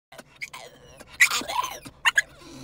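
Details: Dog "beatboxing" indoors: a quick run of squeaky, harmonic whines that rise and fall, broken by short grunting bursts and clicks, with two sharp yelps near the end, all within under three seconds.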